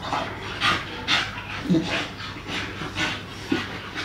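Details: Two English Staffordshire Bull Terrier puppies at play, with rapid breathy panting bursts about every half second over a steady low hum.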